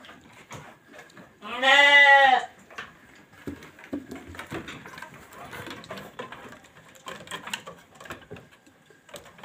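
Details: Sheep on a sheep farm: one loud wavering bleat with rich harmonics lasting about a second near the start, followed by quieter rustling and faint farm background noise.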